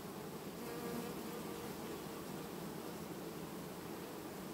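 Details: Honey bee family replacing its queen without swarming, August 2019: a constant thick buzzing hum from many bees, steady and unvarying, with a faint thin tone briefly audible early on.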